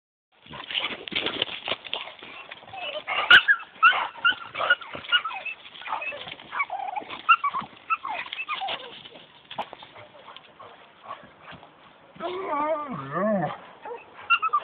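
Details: Two dogs play together, a 10-month-old Australian Cattle Dog/Border Collie mix and a 2-year-old Staffordshire Bull Terrier, both rescue dogs. Scuffling with short growly and whiny bursts runs throughout, ending with a wavering, rising-and-falling whine near the close.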